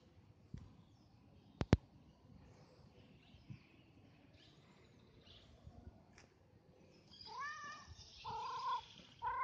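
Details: Street cat named Bob meowing only in the final seconds, with short wavering cries after a stretch of sharp clicks and faint rustling.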